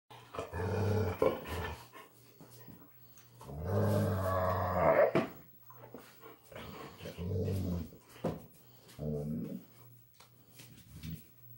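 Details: Puppies Ryder and Trinity, with granny dog Kijodi joining in, in their greeting ritual indoors: deep rumbling growls and whining vocal bursts in several long bouts, loudest around four to five seconds, with a steady low hum beneath.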